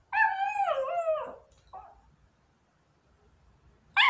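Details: Small female long-coat Chihuahua waiting at the front door for the father gone to work howls like a wolf: one rich, harmonic howl sliding downward over about a second, a short faint follow-up, then quiet before another howl begins.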